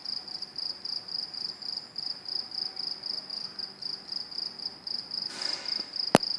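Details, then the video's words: Crickets calling at train tracks: a steady, high, evenly pulsed chirping that repeats about two to three times a second, with a faint hiss and a sharp click near the end. "Crickets making noise at train tracks"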